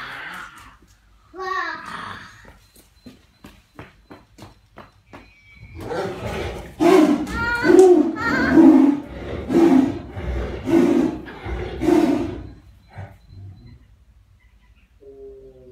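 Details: A tiger, just rudely awakened, gives a burst of harsh, rasping growls, repeated roughly once a second in an angry outburst.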